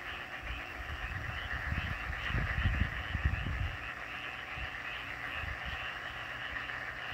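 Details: Many frogs calling together in a steady, trilling chorus at Gumi-dong, Donghae, South Korea, on 18 May 2024, with low rumbles of wind or handling.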